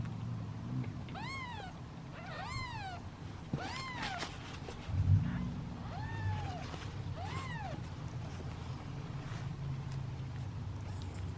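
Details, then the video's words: Seven kittens waiting in a basket for feeding produce bright, arched meows about every one to two seconds, with a soft thump midway and a steady low hum beneath. "Impatient Meows of Kittens"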